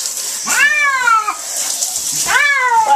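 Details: Flea-covered domestic cat protesting a bath in cool water: two strong wailing meows, each arching up then sliding down, about two seconds apart, with a constant hiss behind them.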